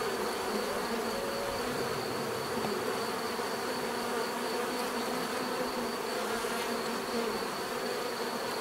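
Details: Continuous buzzing of many bees, an even droning hum that holds steady throughout with a thin high tone above it.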